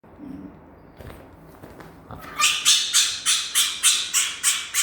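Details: Pet female fennec fox, excited and wanting affection after her bath, gives a rapid run of harsh, high squawking calls repeated about three times per second in the second half, after quieter rustling and faint sounds.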